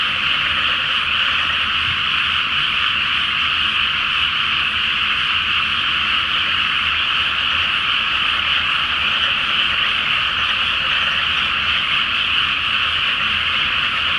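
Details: Massed frog chorus at night in a flooded rice paddy before planting, under a full moon: a dense, unbroken wall of overlapping croaks and trills that holds steady for the whole stretch, with a faint low rumble beneath.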